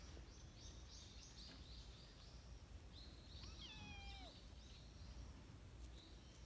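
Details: A lost kitten from a trio of three, outdoors after the rain while playing with people, gives one drawn-out meow that falls in pitch midway, amid high bird chirps and a steady low rumble of background noise.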